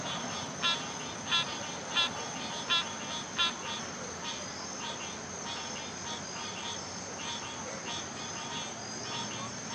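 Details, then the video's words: Frogs calling, short pulsed notes repeated roughly every 0.7 seconds for the first few seconds, then fainter, over a constant high-pitched insect whine. "Frogs making music"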